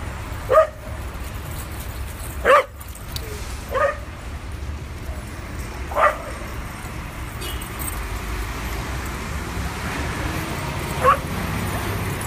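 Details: At a New York City dog park, adopted dogs play on their first visit; scattered single barks at irregular gaps of one to five seconds, over a constant low traffic drone.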